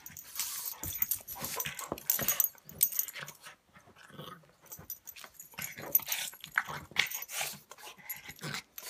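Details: Two dogs play-fighting, Buster the pug against Patton the English mastiff: bursts of snorts, rasping huffs and brief growls, irregular and rapid, separated by short lulls.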